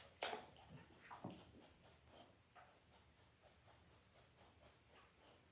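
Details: Five-day-old Labrador Retriever puppies from Belle's litter of five males and three females, born October 15, 2023, in an indoor whelping setup: a cluster of thin, high squealing whimpers opens, then scattered faint squeaks over soft rustling.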